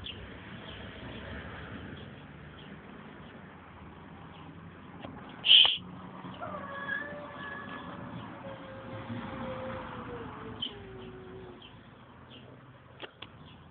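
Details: Tomcat giving a strange, drawn-out tonal call that glides gradually downward over roughly five seconds, with one sharp click just before it and a steady low background noise.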